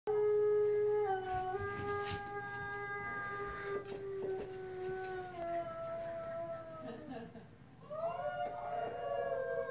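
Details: A Siberian Husky howls along with a wolf on TV, long sustained tones that slowly slide downward, then rise again. Siberian Husky.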